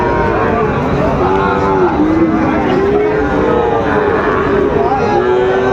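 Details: Sahiwal bull calves at Ambari cattle market in Dinajpur, Bangladesh, at the start of trading on 12 September 2025; long, steady, overlapping lowing calls run throughout over constant crowd chatter and bargaining voices.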